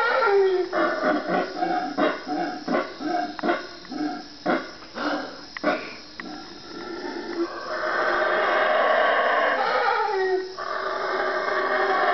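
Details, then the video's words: Howler monkeys calling at 3am in the Guatemalan jungle, four animals three trees away. Rhythmic hoarse grunts come about three per second for six seconds, then build into a long continuous roar. "howler monkey 3am wake up call"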